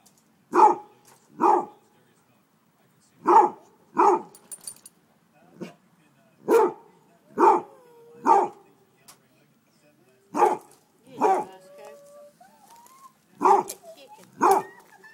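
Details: A Basset Hound barks at chicken thighs fresh off the grill, apparently trying to cool them down, giving deep, loud barks, often in pairs, repeated over and over.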